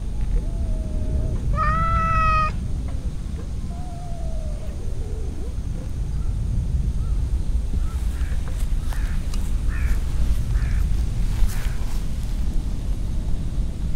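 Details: Stray cat among a group gathering on a park bench by a large pond; a short meow, then a loud harmonic-rich meow, a softer falling meow, and later faint scattered chirps amid low outdoor rumble.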